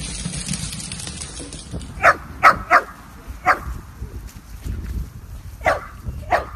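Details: Miniature Dachshund barking indoors: about seven sharp, bright barks, some in quick pairs and others spaced a second or more apart, after a quiet opening with a steady high electronic tone.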